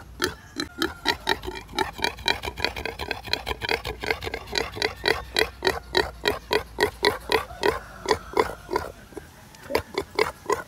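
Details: Native pig, tamed and tied up, with coconut, grunting continuously in quick short oinks, roughly three to four each second, with brief pauses near the end.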